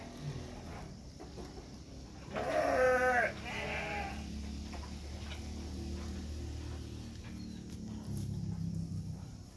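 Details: Batur Merino sheep during the lambing of two lambs: a short, wavering, harmonic bleat of about a second rises over a steady low rumble of background noise, then the scene stays quiet.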